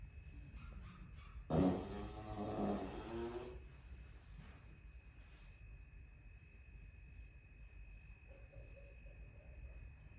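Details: Australian Doodle puppy giving a single strained, wavering whine of about two seconds that quivers up and down, followed later by a faint, thin high squeak over a low indoor hum.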